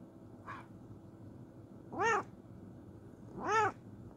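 A Bengal cat gives two clear, arching meows as a morning greeting, after a soft short chirp.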